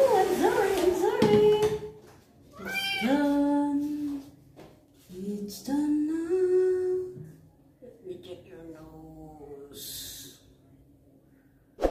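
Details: Twinkle, a male kitten, meowing a lot during his first bath while his wounds are cleaned. He gives repeated plaintive, drawn-out meows, some rising and falling, with pauses between them. Human voices and splashing handling noises are heard around the calls.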